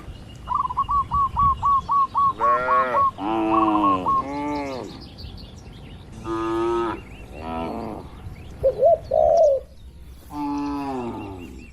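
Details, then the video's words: Tame cattle gathered in a farm pen, relaxed and interacting. Several harmonic, drawn-out moos, some rising, others falling. A rapid run of repeated bird chirps opens the recording, and brief wavering dove-like coos follow. "Banyak Sapi lembu di Kandang Peternakan 😄 | Suara Moo Menghibur!"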